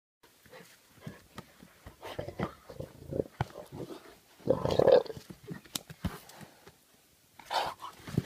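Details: Jaguars in playful fighting, their instinctive combat behaviours used in a play context: rough, broadband growls and snarls in short irregular bursts, the loudest and longest around the middle, with a scuffling, clattering background between them.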